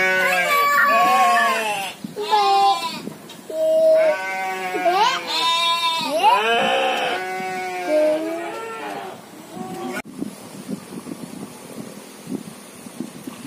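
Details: Goats kept in a pen surrounded by rice fields, with several wavering, quavering bleats overlapping one another at varied pitches and rising and falling, about every second, along with human voices nearby.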